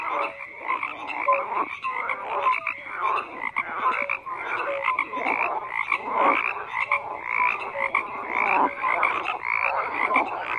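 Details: Dense chorus of many frogs croaking at once: rapid rasping pulses overlap continuously, with short clear tonal notes at several pitches scattered throughout and no gaps of silence.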